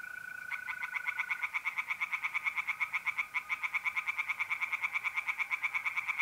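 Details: Tree frogs singing at night in a pond in North-East Italy in mid-April. Rapid, regular pulsed croaks run without pause, layered over the steady high trill of mole crickets, which is clearest at the start.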